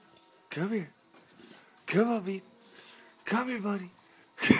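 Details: Pet bulldog Brutus, who goes crazy when given his ear medicine, lets out three arched, rising-then-falling harmonic wails about every one and a half seconds, with quiet gaps between them and a sharp loud sound at the very end.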